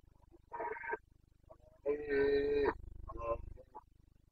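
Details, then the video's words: Rutting Carpathian stag in Bucovina, breeding season, 29 September 2022: a series of hoarse roars, the middle one longest and steady-pitched, followed by a shorter grunting bellow, over a steady low pulsing background hum. "Boncănit / Carpathian stag Breeding season"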